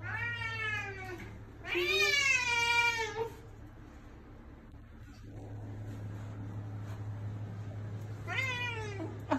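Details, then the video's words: Domestic cat meowing, a sound meant to make a cat come. Three drawn-out harmonic meows: a wavering first, a longer second, and a short final one near the end, over a steady low electrical hum. "Play this sound to make your cat come to you!"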